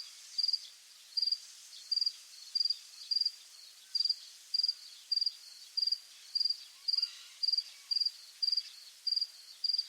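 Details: Crickets chirping at dusk in rural fields. Each chirp is a short, high, pulsed trill, repeated roughly every half second in an uneven rhythm, over a quiet hissing background.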